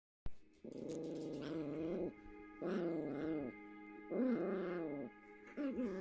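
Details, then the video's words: Two Yorkshire Terrier puppies playing together, recorded Feb 4th: long drawn-out harmonic growls lasting about a second each, four bouts with short pauses between, steady hum of tones in the background. "2 Yorkie Puppies playing"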